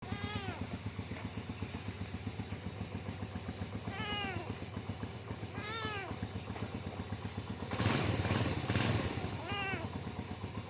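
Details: A kitten, said to be afraid of a motorbike's sound, gives four arched, rising-then-falling meows spread over ten seconds against the steady throbbing idle of a motorbike engine, with a louder engine burst near the end.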